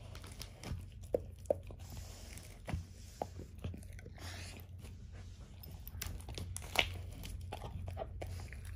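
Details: Ava, a 13-year-old German Shorthaired Pointer, eats a whole dehydrated turkey wing for breakfast for the first time indoors: irregular sharp bone crunches and bites with quieter tearing between them over a steady low room hum.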